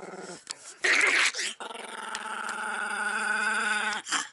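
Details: Pet Chihuahua indoors, furious at the camera intruding and spinning rapidly while angry: sustained harmonic growl with a stacked buzzing tone, broken by a louder harsh snarling burst near one second and a short gap, then a long steady growl.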